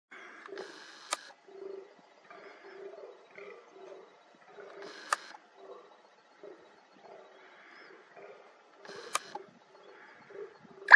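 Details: A fallow deer in rut gives short, hoarse, belching groans in rapid series, with sharp clicks every few seconds, as a rutting display during the breeding season.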